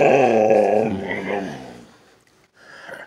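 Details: Siberian Husky named Sasha talking indoors, seemingly upset that her owner must go to work: a long, drawn-out, wavering howl-like moan with rich harmonics that fades away, then a brief higher whine, in a small room.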